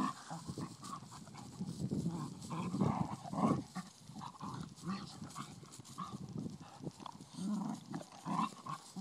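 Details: Ten-week-old blue nose Pit Bull puppy and a five-year-old Vizsla playing together; rough, low growling and grumbling play noises in uneven bursts, with scuffling and a man's voice calmly telling the dog to take it easy.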